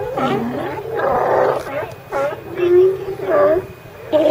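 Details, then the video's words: California sea lions hauled out together, heard in ambient audio: a run of hoarse, wavering, moaning barks at mid pitch, several overlapping, with loud bursts at about one-second intervals. "California Sea Lions"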